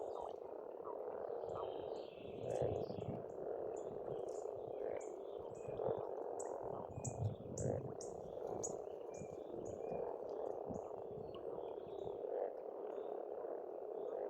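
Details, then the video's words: Dense croaking of pond frogs in springtime Estonia, a continuous throbbing chorus with periodic stronger pulses, accompanied by rapid high chipping and trilling of birds and some low thumps. "Расслабляющее пение птиц и лягушек, весна, природа."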